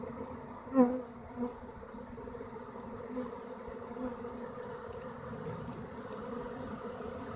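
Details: A honey bee swarm moving into a hollow tree gives a steady, low, droning hum, with one bee buzzing close by early on.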